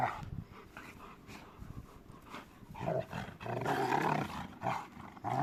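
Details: Two Rottweilers in play. Faint scuffling at first, then loud, gravelly growls swell and break off in a few uneven bursts through the second half.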